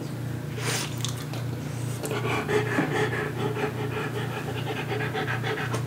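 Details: French Bulldog eating a teaspoon of pumpkin purée from a spatula indoors. Steady, rapid breathy panting runs throughout, with soft wet licking clicks over a constant low electrical hum.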